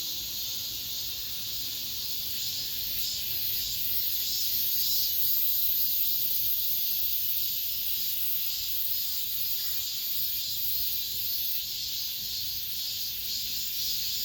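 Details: End-of-summer cicadas in an apartment complex produce a continuous shrill buzz that grows slightly louder midway, throbbing in irregular beats throughout.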